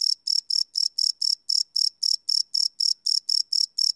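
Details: Night chorus of crickets captured live on a Sony PCM D100 recorder, giving shrill, evenly spaced chirps at close to four per second. A clean, unbroken rhythm with nothing else audible.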